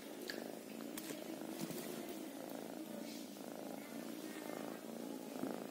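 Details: Even, unbroken purring from a kitten, a low vibrating drone with faint light clicks scattered over it.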